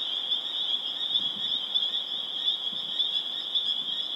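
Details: Spring peepers (Pseudacris crucifer) in Harvard, Massachusetts, on April 27, 2011: a dense chorus building to a crescendo, countless high peeps blending into one steady, ringing shrill.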